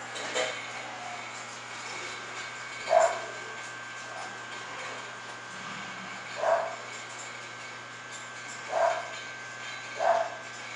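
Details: English Bulldog at a Florida kennel, whose dogs include Salma, Thalia and Cristobal. Five sharp single barks come roughly every two seconds. A constant low droning hum runs underneath.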